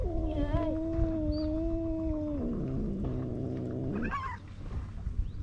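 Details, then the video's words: Two male stray cats quarrelling at the seaside in Istanbul, always meowing loudly and hissing: a long level wailing yowl that drops to a lower pulsing growl, then a brief sharp cry near the end. "Two male cats meowing and hissing each other"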